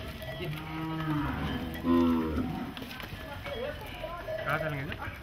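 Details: Cattle released from goshalas outside Nagpur, India, running loose in the streets; low, drawn-out moos overlapping each other, one swelling louder midway, above constant background noise.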